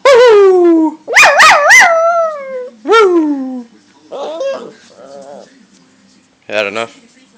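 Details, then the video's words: Pet dog howling: several sliding howls that fall in pitch, including one with quick wavering rises, followed by softer whimpering notes and a brief yip near the end. "Porsche howling!!!!!"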